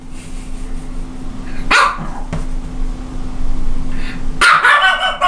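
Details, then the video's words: Small dog, a Japanese Chin, lets out two sharp barks about three seconds apart, the second harsher and longer, against a steady low background hum. "Japanese chin is barking Японский хин лает"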